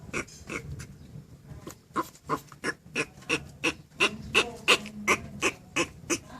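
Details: Turtle making noise for its mate: short squeaky, grunting pulses repeat steadily about three times a second, around seventeen in a row, each with a bright upper tone. A quiet background hum is present throughout.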